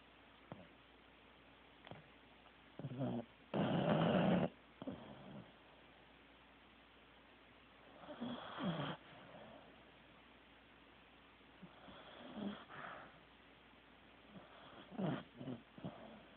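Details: Teddy the Corgi is fast asleep and snoring in irregular bursts. One loud, harsh, rasping snore rises near four seconds, with softer wheezy breaths and short snorts scattered before and after in a quiet room.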